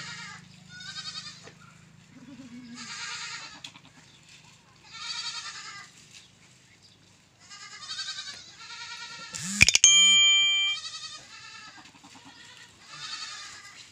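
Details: Goat bleating on a goat farm: quavering, nasal bleats with a tremolo, repeated about every two seconds. A low hum runs through the opening seconds, and a sharp electronic beep with a thump cuts in near the ten-second mark.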